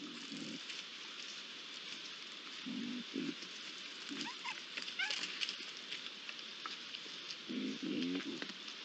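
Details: Young Iberian lynxes, three together at a pond, 8 July 2022: a few low snarling growls start and end the stretch, with quieter gaps between and a steady hiss throughout.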